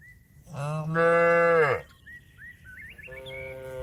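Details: Calling to companions to come home to the pen, cattle give a rich moo of about one second that sags downward at the finish, then a softer second moo begins, with scattered bird chirps in the gap.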